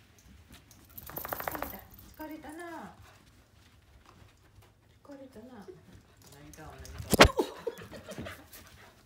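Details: A female Pembroke Welsh Corgi, born 8 July 2015, gives short, tonal barks and whining yelps in scattered bursts, with a sharp knock, while being set upon again by another dog. Pembroke Welsh Corgi.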